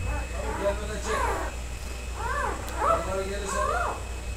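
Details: Karakurt dog puppies, three males, from a special line: a run of four high, arching whimpers with clear harmonics, spaced about a second apart, over a steady low hum.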